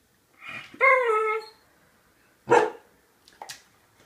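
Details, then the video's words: Pet dogs, two of them, barking to beg for food: a long harmonic howl-like bark, then after a pause one loud, sharp bark followed by softer short yips, while a person talks to them. "barking, begging for food"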